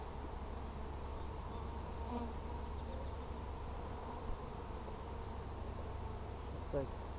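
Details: Hive inspection of kept honey bees, 17 July 2020, with frames holding plenty of room: an even, continuous droning hum with low banded tones throughout, a couple of brief soft knocks, and quiet outdoor background.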